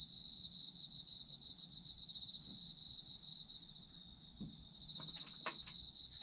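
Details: High ringing trills of autumn insects sung together, continuous and finely pulsed, with a few sharp clicks and taps near the end over a soft low background.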